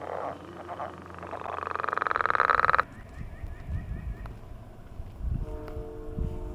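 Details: Frogs giving their mating call on a millrace in the morning: a loud pulsed trill, rapidly repeated and swelling for about two seconds, then stopping abruptly, followed by softer scattered calls and faint background noise.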